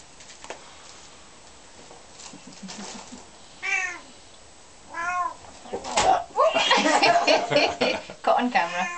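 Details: Young Bengal kitten, one of twin brothers, indoors: two short rising-falling meows a second apart, then people talking and laughing loudly over further mewing.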